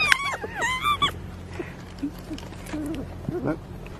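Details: A marmot being fed carrots gives a quick run of high, whistled chirps that rise and fall in pitch. Fainter squeaky notes follow over a low background hum.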